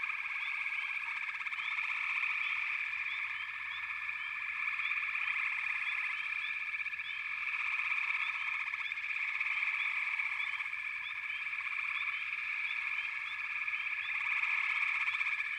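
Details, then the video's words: Many frogs calling together in a backwater, a long unbroken pulsing drone that swells and eases in waves, with brief upward chirps overlaid throughout. "FROGS - Pig Frogs, Water Frogs, Backwater Chorus, & Frog Chorus"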